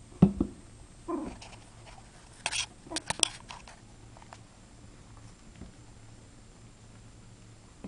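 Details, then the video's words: Puppy named Hero giving his first bark plus a little growling: one short, sharp yip at the start, a brief low rumble about a second later, then scattered taps and clicks in a quiet small room. "Hero has a bark!"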